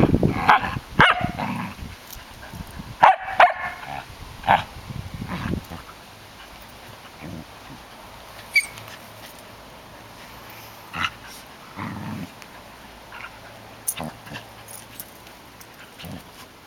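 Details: Female Samoyed Chaya, three years old, playing with an eleven-week-old Sheltie puppy; a burst of sharp barks and yips in the first five seconds, then scattered single yaps among rustling and scuffling play noises.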